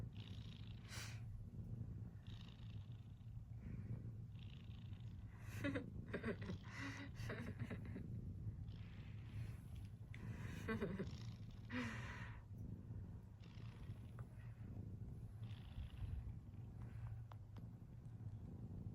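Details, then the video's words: Cat snoring: an unbroken deep hum underlies repeated breathy inhales and exhales, with a few faint clicks scattered through. "Snoring Cat"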